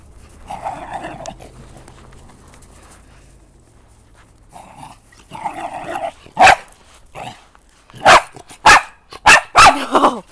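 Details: Pet dog named Maddie going crazy: low growling and grumbling noises at first, then a burst of loud, sharp barks, several in quick succession toward the end, with some rustling in the background.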